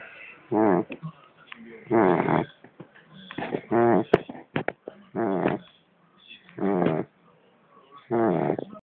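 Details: Male Pembroke Welsh Corgi, born February 2009, snoring loudly: seven deep, rasping, buzzy breaths spaced about every 1.2 to 1.4 seconds, with faint clicks and snuffles in the gaps.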